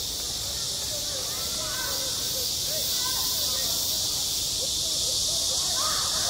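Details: Summer cicada chorus over a school playground, a constant shrill buzzing wall of sound, with faint distant voices drifting underneath.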